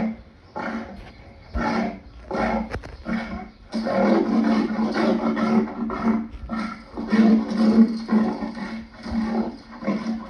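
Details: Lion producing repeated coarse, throaty grunts in quick succession, around two per second, merging into a longer rumbling stretch in the middle; faint steady hum in the background.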